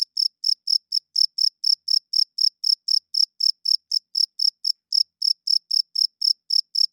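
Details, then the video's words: Cricket chirping loudly at night, a male rubbing its wings to attract females and hold territory; short, high, bright pulses repeat about four times a second in an even, unbroken train with no other sounds. "40 Minutes of Cricket Chirping Sounds - Cricket klinkt 's nachts luid"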